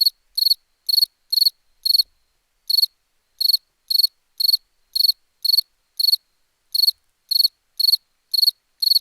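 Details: High, trilled cricket chirps, each a short cluster of rapid pulses, repeat roughly twice a second with a brief break early on, over a clean silent background.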